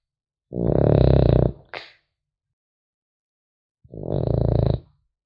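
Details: Sleeping French Bulldog puppy gives two harsh, rattling snores several seconds apart, the first followed by a brief snuffling catch, silence otherwise in a small quiet room.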